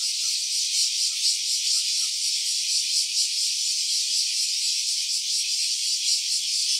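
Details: Stereo phone recording of a cicada's voice, an unbroken shrill metallic drone that throbs faintly in intensity; a few soft chirps sit beneath it in the first two seconds.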